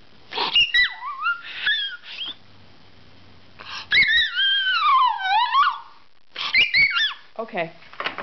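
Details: Puppy begging for mixed greens indoors, giving high warbling whimpers. One long whine rises and then falls in a sweeping arc midway, with short squeaky whines before and after and a person talking in between.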